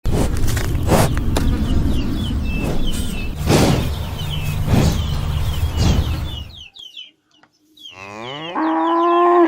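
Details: An angry cow gives rough, breathy lowing, then a clear, drawn-out harmonic moo at the end.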